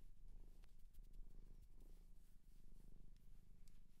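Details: Pet cat adopted from a shelter in Japan purring close up: a continuous deep, pulsing rumble with light rustling and clicks.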